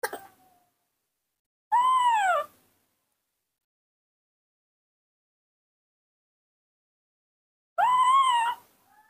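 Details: Baby monkey missing its mother, raised by hand at home, gives two loud arched harmonic cries about six seconds apart, each rising and falling over roughly a second, with brief faint human voice between calls.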